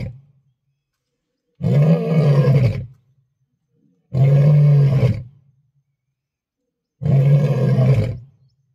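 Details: A lion seen on an African safari gives three deep, booming roars, each about a second long, spaced a few seconds apart.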